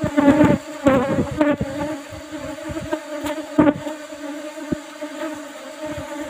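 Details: Honey harvest from an old-style box hive of Asian honey bees, Apis cerana, with a used asbestos-sheet lid; a loud, dense buzzing drone, wavering in pitch, with rushes of louder buzzing and bumping knocks in the first half.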